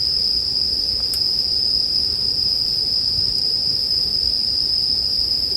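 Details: Bell crickets in a steady, unbroken high-pitched ringing chorus that holds one bright tone with a faint higher overtone, blended with soft crackles and occasional sharp pops of a campfire, offered as calming sleep background sound.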